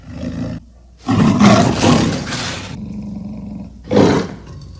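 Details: Leopard giving a long, harsh, noisy roaring growl lasting about two seconds, then a shorter rough burst, with a low rumble in between.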